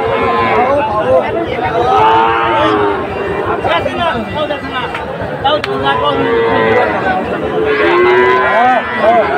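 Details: Sahiwal breed bulls on sale at a Dhaka market, 16 September 2024, lowing in overlapping drawn-out calls every couple of seconds amid busy crowd noise and human voices.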